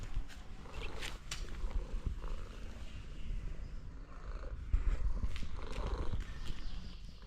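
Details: Homeless cat tapped on the back for the first time, answering with a steady low rumbling purr that continues throughout, with faint scattered higher rustles and clicks above it.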